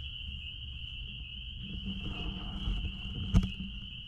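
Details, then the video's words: Spring peepers at a blueberry farm, heard as an unbroken shrill chorus of many overlapping peeps. Strong low rumble underneath, and a single sharp knock near the end. "Peepers sounds out back at Blueberry farm"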